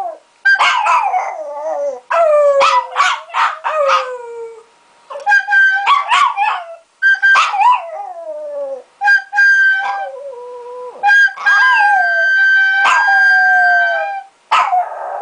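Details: Three-year-old pet Chihuahua "singing": a run of howls in sliding, wavering tones that rise and fall, broken by short yips and brief pauses, with rich overtones throughout.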